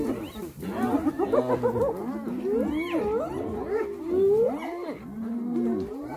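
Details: Several hyenas brutally attacking another hyena: a dense tangle of overlapping rising and falling whoops, squeals and giggling cries from many animals at once, continuous for six seconds.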